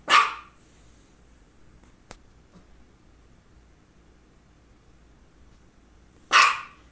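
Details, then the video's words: Misha, a female dog who had focal seizures just before and shortly after, gives two single sharp barks six seconds apart with a quiet room and a faint click between. "Barking and two focal seizures"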